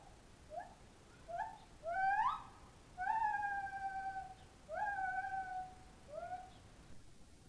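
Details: Loud whooping from two captive white-handed gibbons in a park enclosure in Moraine: a run of hoots that climb and lengthen, each rising note swelling into drawn-out, level whoops, then shorter falling notes at the end.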